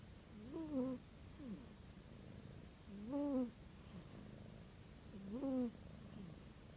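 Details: Sleeping kitten snoring loudly, as loud as a human. Three short, nasal, tonal snores, each rising then falling, come about every two and a half seconds, with faint breathy sounds between them in a quiet room.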